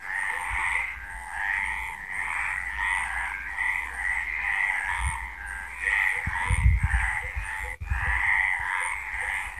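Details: Frogs calling at night in Villa del Campo, Extremadura, Spain: a dense chorus of overlapping croaking pulses, steady and continuous, with bursts of low rumbling noise partway through.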